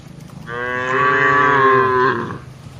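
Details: One of a herd of tame cattle grazing on broad green land, lowing in a single sustained, rich harmonic moo about two seconds long, steady in pitch and slightly falling at the end.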